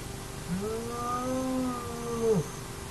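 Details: Hyena at an active den of the Naledi hyena clan: one drawn-out tonal whine, sliding up, holding steady for nearly two seconds with rich harmonics, then dropping sharply, over a constant low hum.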